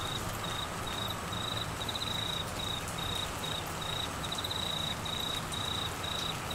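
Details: Crickets calling during heavy rain in the Australian monsoon season in flooded Queensland: a thin, high, pulsed chirp repeating about twice a second, steady throughout, over a dense, constant hiss of falling rain.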